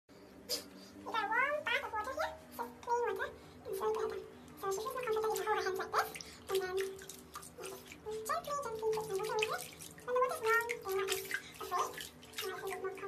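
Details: Domestic guinea pigs (Cavia porcellus), called the world's greediest, give repeated rising, squealing harmonic whistles in quick series indoors, with brief high clicks and scuffles in between.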